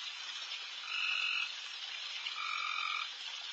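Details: A dense night chorus of many frogs in a backyard, with two louder, buzzy-toned trills about one and a half seconds apart, the second longer and lower.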